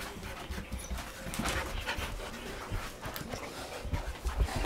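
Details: Domestic dog panting in quick, breathy, rhythmic puffs that repeat steadily through the short stretch, with faint soft human voices and indoor background noise behind it.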